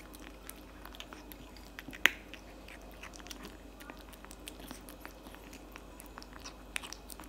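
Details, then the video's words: Cat eating cat food indoors: soft, scattered crunching and biting clicks with one sharp louder crack early on, over a low steady room hum. "eating cat food for 5 minutes straight"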